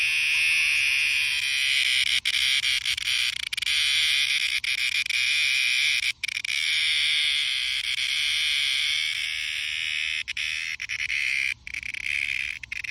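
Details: Cicadas fill the summer air with a loud, continuous high-pitched buzzing drone.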